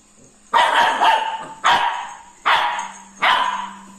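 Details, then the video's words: Labrador Retriever puppy barking while scared of a ladle: four sharp, harsh barks spaced about a second apart, each dropping off quickly, over a faint steady background hum. "scared of ladle"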